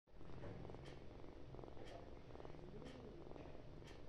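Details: Kitten purring loudly indoors: a steady, low, rumbling vibration that runs unbroken through the whole stretch, with faint soft clicks roughly once a second.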